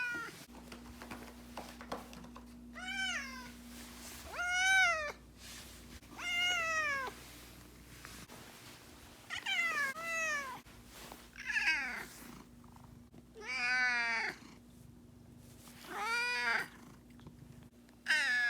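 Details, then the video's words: Two-year-old house cat Miho sulking and angry when her owner stays out late, giving a series of wailing siren meows roughly every two seconds, each rising then falling, with a faint steady indoor hum. "내가 보려고 만든 내 고양이 화내는 사이렌 소리 모음"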